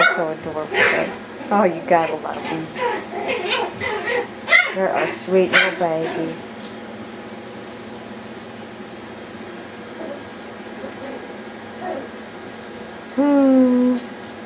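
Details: Yorkshire Terrier puppies in wild play let out rapid, overlapping yips and little barks for about six seconds, then go mostly quiet apart from a last drawn-out, falling whine.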